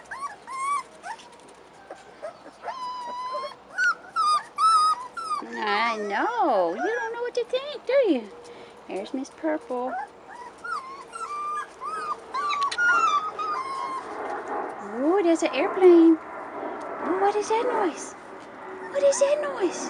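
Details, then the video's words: Several 4.5-week-old Rottweiler puppies out of doors for the first time whimper and whine nearly nonstop, with short wavering cries overlapping one another, while a person talks and music plays faintly. "Rottweiler Puppies 4.5 Weeks"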